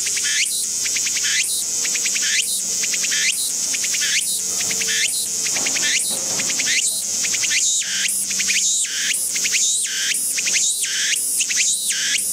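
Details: In a garden, a Walker's cicada keeps up a shrill, pulsing song of quick repeated phrases, each opening with an upward sweep, coming about once a second without pause throughout.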